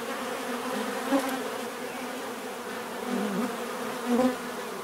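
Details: Bees buzz in a steady chorus while single insects fly close past, their louder rising and falling drones standing out briefly over the hum.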